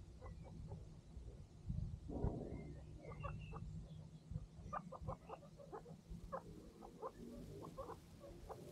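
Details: Baby boy guinea pigs, one month old, on their first day in a new home, give short, high squeaks and chirps. The calls come in quick scattered bursts over a low steady hum.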